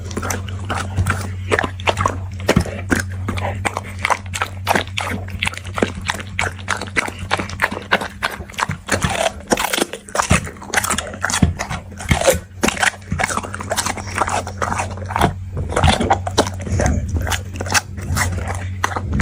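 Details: Dog eating at length, repeated crunching bites and chewing clicks in uneven bursts, louder spells midway, with a persistent low hum behind.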